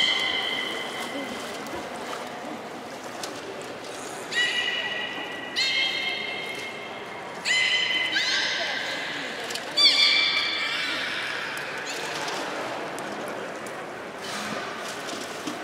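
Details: Beluga calls from the juvenile group at Port of Nagoya Public Aquarium during pool transfer and playtime, November 2017: a run of short harmonic squeals and whinny-like whistles every one to two seconds, with echoing hall noise behind.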